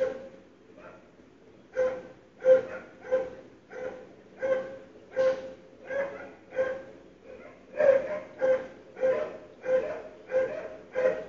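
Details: Dogs barking on a 2012 February morning, heard indoors despite sealed windows and doors; after a quiet start, a long series of rhythmic barks, slightly quickening toward the end.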